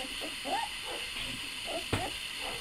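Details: Puppies crying at feeding time while one, Dale, tries to eat the mother dog's food. Thin high whimpers arch up and fall back, a few scattered over two seconds, with a sharp click and faint room hiss.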